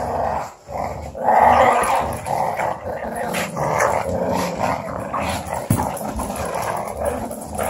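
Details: A female pug, playing with an Australian Shepherd, growls continuously in low, rumbling bursts with a rough, throaty texture.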